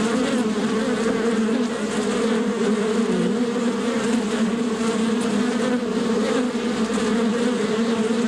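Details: Natural bee buzzing, a constant layered drone of many bees, low humming tones steady throughout with faint fluctuations.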